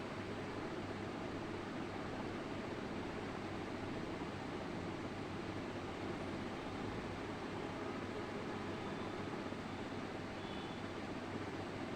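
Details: Only a steady broadband hiss and low hum are heard, without any animal call.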